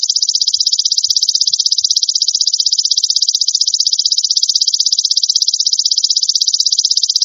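A golden grasshopper gives a high, shrill, steady buzz made of rapid even pulses, unbroken for the whole stretch, with no other sounds.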